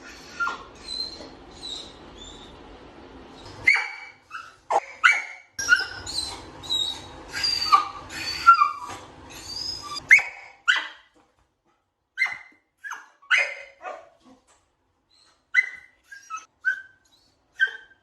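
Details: Dog sounds for sound-habituation training of puppies, starting with whining; thin high whimpers and nasal whines give way to sharp yelps and short barks, separated by brief silences.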